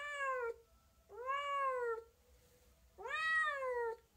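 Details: Domestic cat meowing three times in quick succession, each a smooth, tonal, slightly descending wail lasting under a second, separated by brief quiet gaps indoors.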